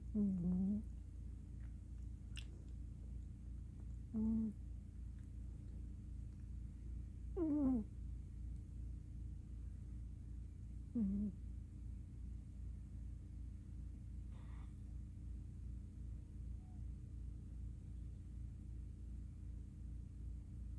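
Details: MissTinkerKitty, a black female cat, snoring in deep sleep while curled up on her pillow indoors after a day of play; soft, low, voiced snorts repeat about every three to four seconds over a steady low background hum.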